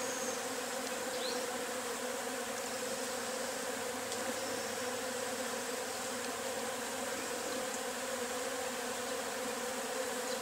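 A dense, steady buzzing hum of many Agelaia pallipes wasps swarming from their nest.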